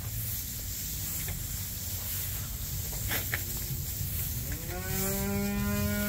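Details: Red Angus heifers at Lewistown Livestock Auction, Montana, during the Heart of the Future Replacement Heifer Special on 30 January 2024; after a low steady barn rumble, one loud, drawn-out, harmonic-rich moo rises and holds through the final second and a half.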